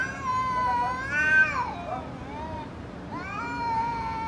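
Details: Fighting cat in an angry mood, sustained tonal caterwaul that swells and climbs, dips sharply, then starts again as a long steady wail over a faint low rumble.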